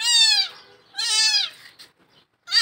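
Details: Young kittens still of milk-drinking age, thrown into a well, crying from inside it: two loud, high, harmonic meows about half a second each, falling in pitch, then a third starting, with short gaps of silence between.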